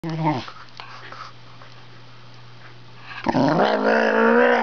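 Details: Male Wire Fox Terrier indoors, talking to his owner seated at the computer; a short yelp, then a drawn-out, moaning, harmonic grumble that rises and holds steady in a small room.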